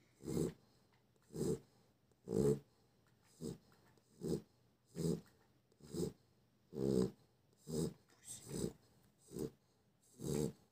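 A Chow Chow snores with low, rumbling rasps about once a second, each breath a short raspy burst.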